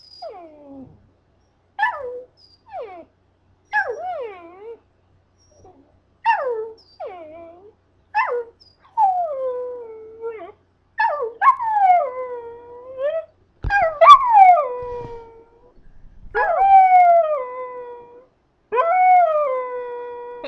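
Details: Scottish terrier, male pet, teased by its owner into singing: a series of wavering, falling howls and yips, each sliding down in pitch, repeated every one to two seconds and growing longer and louder toward the end.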